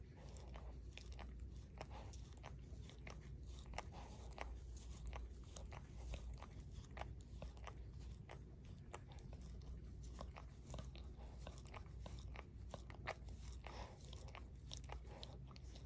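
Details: Shorkie named Barry licking his own paw, producing dense, rapid wet clicks and smacking sounds that continue evenly through the whole stretch, faint and intimate, with no speech.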